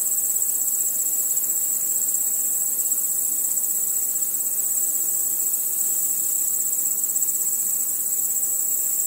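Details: Crickets chirping in darkness among other nocturnal insects: a constant high, thin ringing drone that never breaks, steady in volume, with a low background hiss of softer insect sound.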